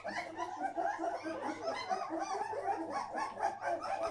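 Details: English Springer Spaniel in Bavaria, from a recently rehomed litter, gives a busy, unbroken run of overlapping high whines and short yelps wavering in pitch, with no clear pauses. English Springer Spaniel.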